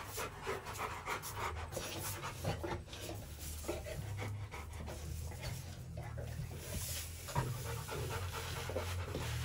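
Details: Rottweiler kept in a kennel, softer panting with breathy puffs in short runs over a steady low rumble.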